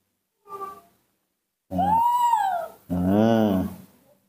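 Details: Newborn baby monkey kept and hand-raised at home, calling happily on seeing its milk during bottle feeding: a short faint note, then a clear arched whistled cry rising and falling, followed by a lower, buzzier voiced sound.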